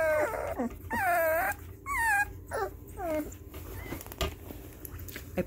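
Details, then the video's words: Puppies, newly able to hear, cry out as music plays in their room for the first time, a string of quick rising-then-falling whines and yips packed closely together, louder at the start and fading toward the end, with faint voices in the room. "Baby puppies react to Haken"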